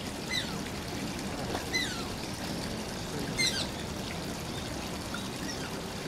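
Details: Whining of Shishimaru, an Asian small-clawed otter kept at Oji Zoo: a few thin, high, falling squeaks scattered across six seconds, partly buried under loud splashing and pouring water.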